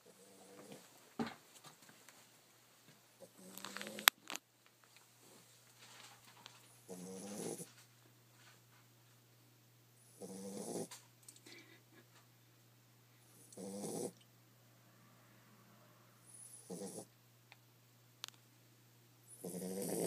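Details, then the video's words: Female Pit Bull puppy asleep under a desk at work, snoring: raspy, breathy snores recurring about every three seconds, with scattered clicks and small knocks early on and a steady low hum throughout. "Pitbull puppy snoring"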